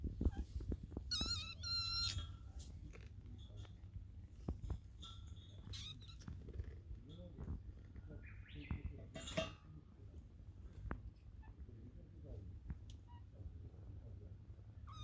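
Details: White fluffy kitten sneezing indoors: a sharp, hissing burst of noise around the ninth second, with brief squeaky, harmonic sounds near the start and soft low rumbling handling noise throughout.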